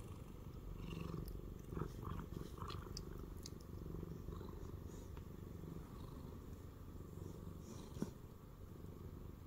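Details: Shamue, a former stray Siamese cat, purring while lying on a person's belly; a steady, low, continuous rumble runs throughout, with faint clicks and soft rustling on top.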